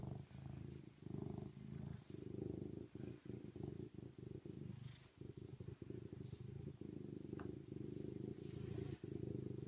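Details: Steady low rumbling purr from a serval, pulsing rapidly and pausing briefly about once a second as the breath turns, with faint clicks and rustles over the top.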